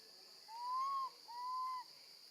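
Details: Baby female monkey left alone with her grandmother, screaming for her mother: two clear whistled cries, each about 0.6 seconds, the first arching up then down, the second steady and level, over a steady high hiss.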